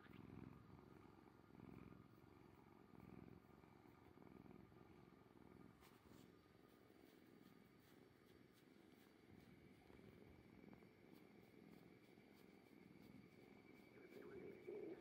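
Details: Kuri-chan, an orange tabby cat, purring as a low, continuous rumble that swells and fades in soft, uneven pulses under a steady faint background hum.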